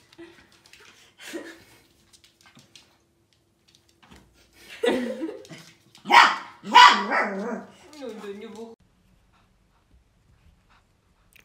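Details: Samoyed indoors giving a few sharp, loud barks in quick succession midway, with quieter people talking in Russian before and after and long near-silent stretches at both ends.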